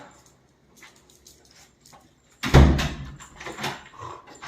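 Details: Dachshund giving a single loud, sharp bark about halfway through after near-quiet, followed by a few softer rustling noises.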